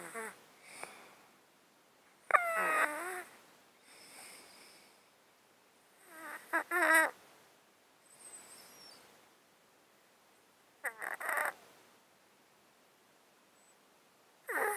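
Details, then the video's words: Snotty, snoring breaths from a domestic cat sleeping in a box, caused by an underlying disease of 13 years. Close-miked, with rattly, wheezing inhales about every four seconds between quieter hissing exhales. "Cat Breathing White Noise | Close Up Mic, snot, breathing"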